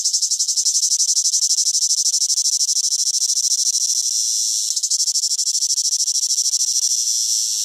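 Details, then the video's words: Cicada (chicharra) singing in summer: a loud, dense, high-pitched buzzing drone pulsing rapidly about three times a second, steady throughout with a brief dip in intensity near the five-second mark. "SONIDO DE UNA CHICHARRA - CIGARRA -"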